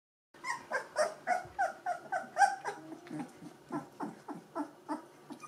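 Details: Two-week-old Gordon Setter puppies from the E litter, eyes and ears newly open, give a steady run of short, squeaky whimpers, about three per second, each a bright harmonic peep with a slight downward bend.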